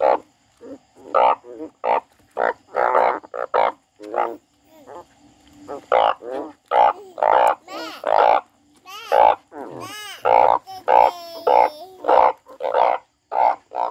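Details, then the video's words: Frog crying: loud, nasal bleating calls in uneven bursts, some short and flat, others wavering and sliding up and down in pitch, with brief gaps of silence between them. "The frog crying"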